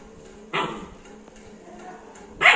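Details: Labrador Retriever puppy, 61 days old, named Juli, indoors: two sharp, bright barks, one at the start and one at the end, each short and harsh, with a quiet room hum between them.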